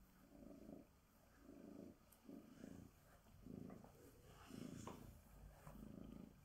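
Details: Sonya, a female Bengal tabby cat, purrs while being groomed with a glove at home; a low, rumbling purr pulses steadily about once a second, each breath a soft throbbing burst, with faint rustling in the background.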